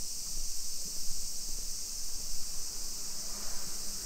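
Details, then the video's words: Cicadas calling in summer in suburban Nisshin near Nagoya, Japan, at 2 PM on 28 July 2021 during a street walk; a continuous shrill, hiss-like drone fills the air above a low, uneven rumble. "Summer Cicadas Sounds"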